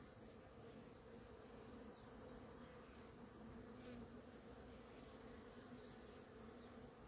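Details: Numerous bees at a flowering ora-pro-nobis plant, giving a continuous, even buzz of overlapping wingbeats with two steady humming bands and a thin high whine in the background.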